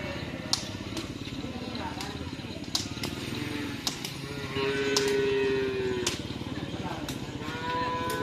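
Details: At a crowded bull-racing practice on the Asemanis field, Pamekasan, one Madura bull gives a single long, steady moo midway through, nearly buried under sharp clicks, motorbike noise and crowd voices.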